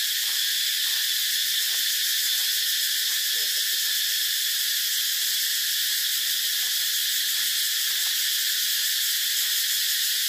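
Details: Cicadas keep up a dense, piercing, continuous buzz that never pauses, with faint scattered ticks under the steady drone.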